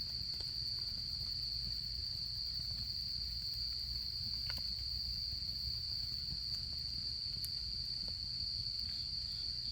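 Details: Autumn insects keep up an even, high, ringing trill with no breaks over a quiet campfire, with faint ticks and a soft low murmur beneath.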